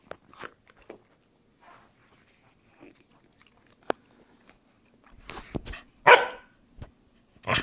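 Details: Corgi playing with a squeaky chicken toy indoors: scattered soft clicks and gnawing sounds, then louder crunching bursts and one sharp, tonal squeak with a harsh edge, followed by further chewing noises.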